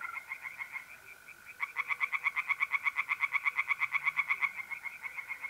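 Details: Singing tree frogs by night in an April pond, north-east Italy: after a quieter opening, a loud run of regular, rapid croaking pulses from about 1.6 to 4.5 seconds, over the steady trill of mole crickets.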